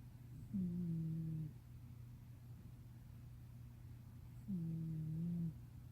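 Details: Black cat Luna snoring in deep sleep, recorded 22 December 2018: two low, nasal, droning snores about a second long, spaced roughly four seconds apart, over a steady low indoor hum.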